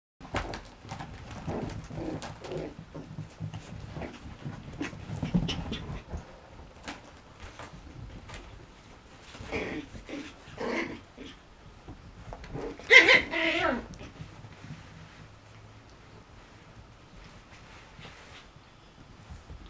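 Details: Eight-week-old Yorkshire Terrier puppies playing with a tunnel indoors, heard as quick panting breaths, soft whimpers and short scuffling bursts, with a louder cluster of sharp yips near the thirteenth second in a small room.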